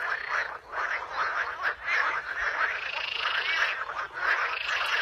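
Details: Frogs calling in a natural setting, a dense continuous chorus of raspy, pulsing croaks, several callers overlapping with rhythmic swells and no pauses.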